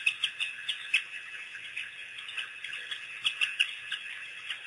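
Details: A pack of African wild dogs, on their first visit to Pete's Pond after being released by researchers in April 2008, gives high, bird-like chirps and squeaks in short, irregular bursts.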